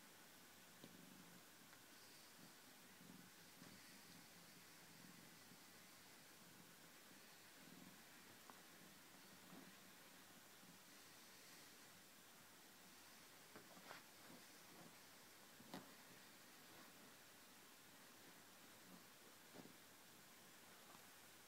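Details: Domestic cat having fun on a couch, purring softly in faint low pulses that come and go in a steady breathing rhythm, with light rustling and a quiet background hiss.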